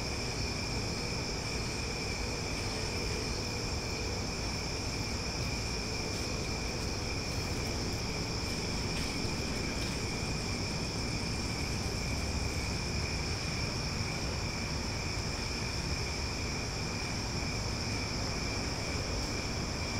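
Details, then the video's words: Loud cicadas singing at night in Omaha: a steady, unbroken high-pitched drone with two even tonal layers holding constant for the whole stretch, over a continuous low rumbling background noise. "Cicada Sounds for Sleep"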